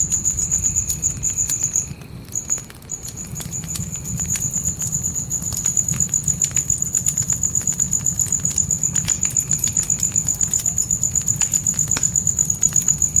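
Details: Natural night crickets in a forest trill on a single high, shrill note, pausing briefly near the start and then running on unbroken. Steady campfire crackling with sharp pops comes from inside a tent, over a low fire rumble.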